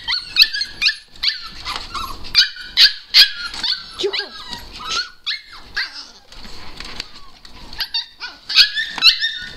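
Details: Husky puppies whine and squeal in high, wavering bursts, greeting their owner excitedly after missing her; Siberian husky.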